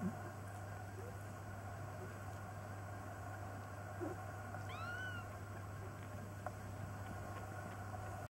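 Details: Foster kittens nearly three weeks old looking out from a basket; a single faint, high, arched squeak midway through, otherwise a quiet room with a steady low hum.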